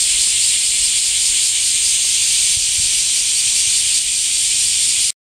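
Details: Summer-heat cicada chorus, a steady sizzling high buzz that holds without pause for five seconds and then cuts off abruptly into silence.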